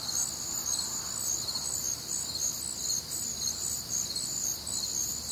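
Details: Crickets on a warm, humid Midwestern summer night, a dense chorus of high pulsed chirps in stacked bands, steady and overlapping with no pause, with faint low background hum.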